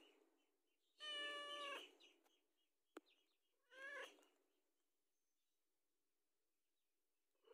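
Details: House cat asking for food, two meows: a longer harmonic one, then a shorter one with a falling pitch, separated by a sharp click, with quiet pauses around them.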